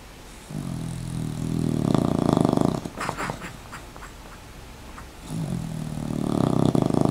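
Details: Rocket, a dog in a sweater, snores while sleeping with eyes partly open: two long, rough, rumbling inhalations about two seconds each, with a quieter pause and soft rustling between them, recorded indoors.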